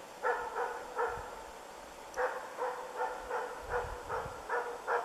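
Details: Ukonvuoren Diesel, a young moose dog in training during its first contacts with moose, barks steadily outdoors: loud, rough barks repeated about every third of a second in even runs, with a low vehicle-like hum beneath.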